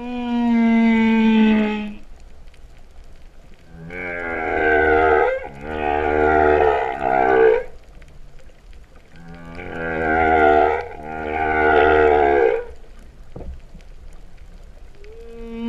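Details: Humpback whales singing underwater off Vava'u, Tonga, September 2015, a cow-like mooing song: a high tonal wail, then paired rich harmonic moans of about two seconds each with brief pauses, repeated in a steady cycle.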